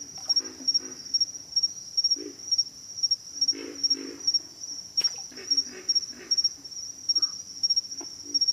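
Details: Pig frogs give deep, raspy grunts, singly and in quick pairs, scattered through the recording beneath a constant high insect whine and a brief click.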